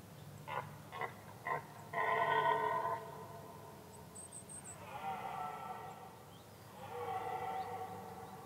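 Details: Red deer in a Danish forest during the rutting season, in dark, low-light woodland. A few short grunts lead into three long, throaty, harmonic bellows, each lasting a second or more, with a faint high bird chirp in the background.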